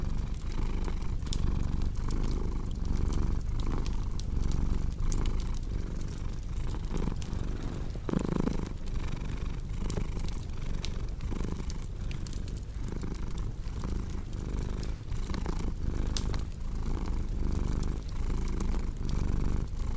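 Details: Long, even purring from a cat set against fireplace crackle for relaxation and sleep; a deep rumble pulses in a regular breath rhythm across the stretch, with one brief louder soft thump midway and constant snapping of the fire.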